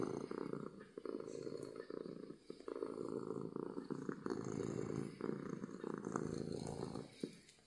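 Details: Domestic cat purring from happiness, loud and close: a steady low rumbling buzz pulsing in breaths of about one to two seconds, with brief soft clicks and rustles.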